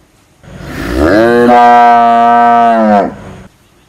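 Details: A single cow gives one long, loud moo of about two and a half seconds, rising at the start, then holding a steady, rich, harmonic tone before breaking off abruptly; no other sounds.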